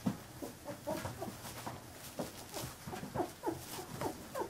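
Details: Fifteen-day-old Carolina Dog puppies making soft, rapid little squeaks and grunts, many short chirpy notes overlapping in quick irregular succession against a hiss of background noise.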